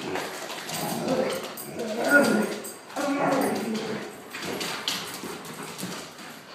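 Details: Pet Akitas indoors, playing with a German shorthaired pointer and talking as they play, not aggression: low rumbling growl-like grumbles that swell and fade in bursts, with scuffling noise throughout.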